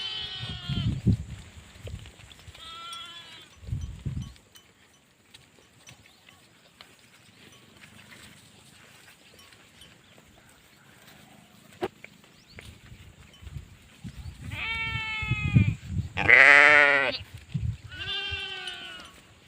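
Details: Sheep giving a series of short, quavering bleats with a long quiet gap in the middle, then a burst of several overlapping baas near the end, including one loud, strained cry.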